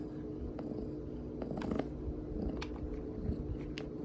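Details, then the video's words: Pet cat making a contented low purr as it is touched, like receiving a massage; a steady throbbing rumble runs under light rustling and a few faint clicks of handling. "A cat that makes a cute sound when touched"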